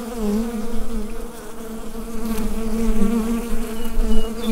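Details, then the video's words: Steady buzzing of a bee colony in the hive, Rode NT-USB microphone recording; a constant low drone with a clear higher harmonic band, gently rising in loudness toward the end. "Bee Hive Sound Effect"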